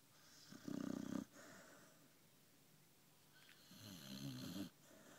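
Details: Sammie the dog asleep indoors after a hard day of walking and eating, giving two rough, buzzy snores a few seconds apart, the first short and loud, the second longer and softer, with quiet breathing between.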